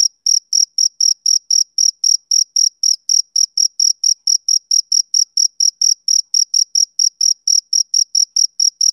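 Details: Male cricket chirping on a summer evening: clean, high, even pulses, roughly four per second, in a steady unbroken train with no other sounds.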